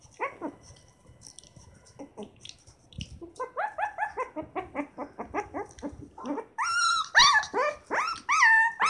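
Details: Twenty-day-old Shiba Inu puppies from a litter of seven, giving rapid, repeated high whimpers and squeals, rising into louder, harmonic-rich cries toward the end.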